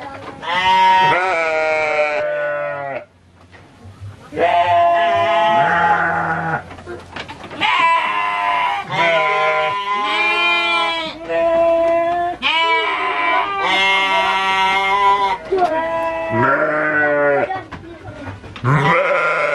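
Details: Repeated bleating of Garut sheep at the Dangiang sheep farm, Cilawu, West Java: long, tremulous, nasal calls, about nine in twenty seconds, some overlapping, with faint voices between.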